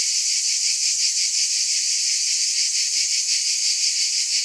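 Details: A shrill wall of cicada buzzing, even in loudness, with a gentle shimmering pulse of about three beats a second beneath the hiss.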